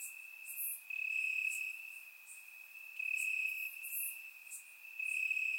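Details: Grassland crickets at night in Bulgaria, summer warmth, surround microphone: bright sustained trilling in uneven bursts, brief quiet gaps between, with high ticking insects behind.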